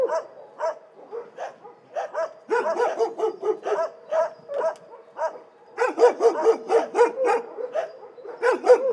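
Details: Several dogs barking in an animal shelter, a dense chorus of overlapping sharp barks and yips in irregular bursts, loudest and most crowded in the second half.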